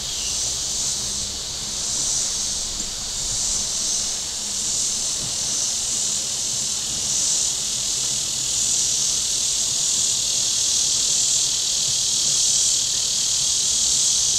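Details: Shoreline cicadas at Table Rock Lake, southern Missouri, on a hot Saturday: a dense, continuous high buzz with soft rhythmic surges about every second or two, over a quiet low background of lake and boat murmur.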